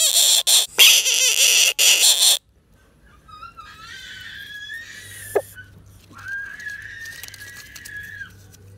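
A frog gives a harsh, piercing scream, then drawn-out squealing wails.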